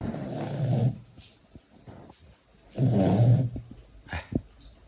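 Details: Pet Siberian Husky snoring at night, as it does every night; two loud, low rasping rumbles about two and a half seconds apart, separated by a quiet gap with faint clicks and a little room noise.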